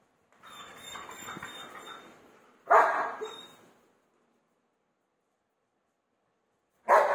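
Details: German Shepherd barking aggressively to get a room door opened. A drawn-out, whining, harmonic bark is followed by one loud, sharp bark, then silence, and one more abrupt bark at the end.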